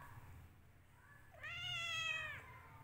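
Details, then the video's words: Angry cat fighting its owner, giving one drawn-out meow that rises and holds steady before cutting off, after a faint short call. "Cat fighting with owner"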